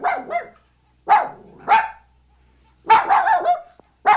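A small Maltese dog gives sharp, high yappy barks in short irregular bursts.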